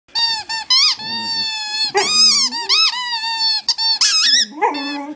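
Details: Coyote giving loud, drawn-out whining howls with rising and falling pitch, broken by quick squeaky yips, in a small indoor room.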